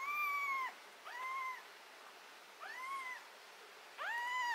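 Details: Cat undergoing removal of botfly larva and treatment of skin fungus and ringworm. It repeats four drawn-out, bowed meows, the first and last loudest, with brief quiet gaps between them.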